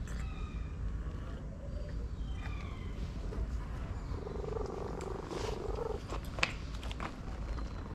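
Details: A stray orange cat relaxes under a massage, purring in a low continuous rumble, with one soft tonal stretch near the middle and a few light taps and rustles.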